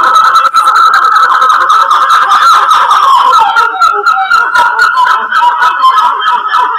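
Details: A troop of black-fronted titi monkeys (Callicebus nigrifrons) calls together in a loud, wavering, siren-like chorus of rapid pulsing notes, while two of them watch curiously. Recorded in January 2018 in the Serra da Mantiqueira, Pindamonhangaba, São Paulo, Brazil.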